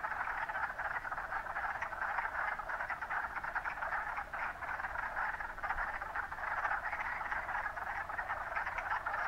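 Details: Many wood frogs calling at Mont Saint-Bruno: a thick, unbroken chorus of rapid, rough clucking croaks, evenly loud throughout.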